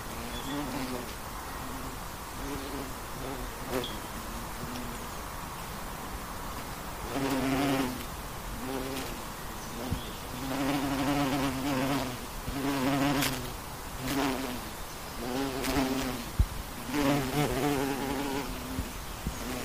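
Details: Western honey bee in flight: a steady low buzzing hum with a clear harmonic stack, rising and fading as the bee passes close, in separate bursts of one to two seconds, louder after the first seven seconds, with faint background noise.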